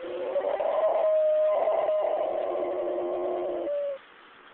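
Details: Bismarck, a dog, howling along with an ambulance siren, which he does every time but only for ambulances; a sustained wavering tone held steady for about four seconds, with breaks near one and two seconds, then stopping abruptly.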